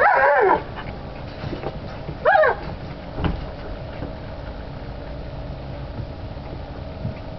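Alaskan Malamute puppies giving short, high, wavering yips and whimpers at uneven intervals.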